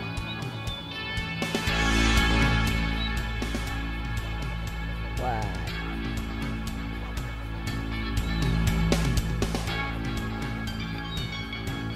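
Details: Loud background music with guitar and a speaking voice covers the whole recording, with no audible animal call.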